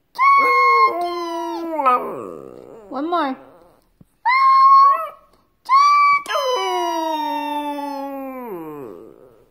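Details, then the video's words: Male Shih Tzu howling in a singing lesson, indoors in a small room: a series of long, ringing howls separated by short gaps, some breaking into quavering, warbling notes, the last one sustained and then sliding down to a low finish. "Shih Tzu having his singing lesson"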